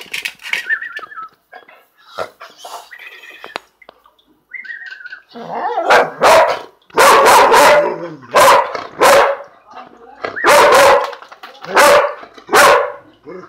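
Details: Male purebred Dalmatian at lunchtime, indoors, barking in loud harsh bursts, often in pairs, roughly every second or two in the second half; earlier, a whistle and soft clinks and voices.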